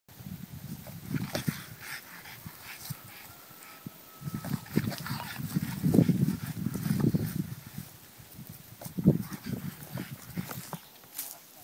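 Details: A French Bulldog hitting a ball like a circus seal gives low, hoarse grunts and short honking barks in uneven bursts.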